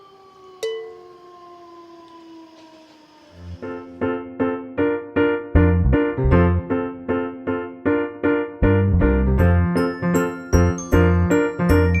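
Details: A bell-like chime fades out, then a bouncy electric piano tune starts with repeated rhythmic chords.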